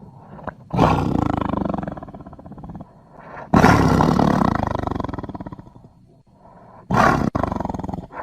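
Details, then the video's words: Tiger roaring in three separate bouts, each a sudden loud, gravelly, throbbing blast that fades gradually over a second or two, with quieter breathy rumbles between them. "Tiger Sounds"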